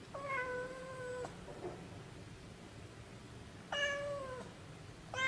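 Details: Munchkin cat kitten meowing indoors: two long, steady, clear meows about two and a half seconds apart, the first lasting over a second and the second shorter, with a third starting at the very end. Otherwise a quiet room.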